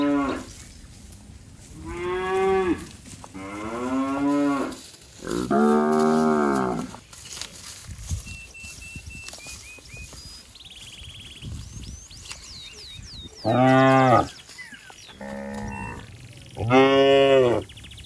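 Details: Calf of fat, healthy cattle roaming in a waterlogged rice field, calling while looking for its mother: several drawn-out harmonic moos, some rising then falling, separated by pauses, with faint bird chirps in between.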